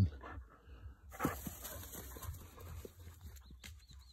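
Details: An excited 7-month-old Weimaraner puppy gives short, uneven whimpers and yelps over a low background rumble.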